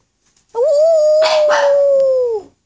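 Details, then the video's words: Black pug howling with encouragement, one sustained steady howl of about two seconds that wavers slightly at the start and drops at the end, with two short noisy bursts overlapping midway, indoors. "Pug Howl"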